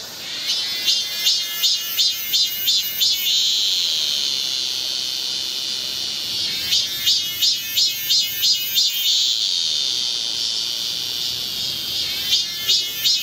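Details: Midsummer cicada chorus on Galsan hill in Gocheok-dong, Seoul: high, rasping throbs repeated about three times a second, alternating with long unbroken shrill droning stretches, bright and clear.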